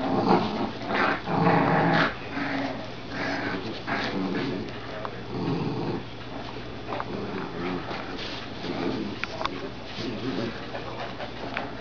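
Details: Two Dachshund puppies and a Golden Retriever puppy wrestling over a glove, giving rough, low growls in uneven bursts a second or two apart, mixed with scuffling and thumps of play.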